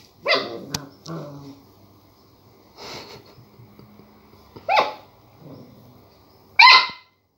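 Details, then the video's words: Border collie puppy barking at a lemon, seeing it for the first time: four sharp, high barks spaced about two seconds apart, with a softer growly yap between them in a quiet room. "Border collie puppy barks at the lemon"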